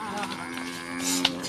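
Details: A Qurbani cow, one of two brought for the sacrifice, moos steadily through the whole short stretch, a deep even tone with rich overtones, ending with a brief hiss and click.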